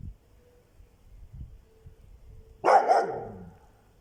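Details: A dog named Augustina guarding its territory gives one short, loud bark after a few seconds of near quiet with soft low thumps. The bark is rough and mid-pitched and fades quickly.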